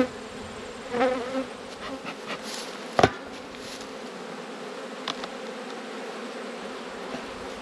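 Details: Honey bees humming at an open hive during an autumn inspection of a colony that had swarmed and raised a new queen; a steady, even drone with a few soft knocks and one sharp click.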